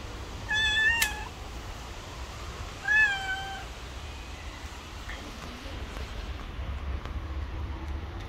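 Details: Pregnant street cat turning aggressive toward another cat: two drawn-out harmonic meows about two seconds apart, the second sliding slightly downward, with a constant low background hum.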